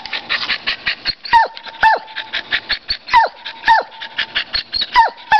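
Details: Champ the dog yaps at a squirrel in paired, high-pitched barks that drop sharply in pitch, three pairs spaced over a few seconds, backed by a sustained whine-like tone and busy rattling noise.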